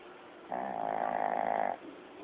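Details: Sleeping Shih Tzu, the elderly dog Lao Yun, captured on an old phone: a single smooth, humming snore of just over a second rising out of and fading back into faint room hiss.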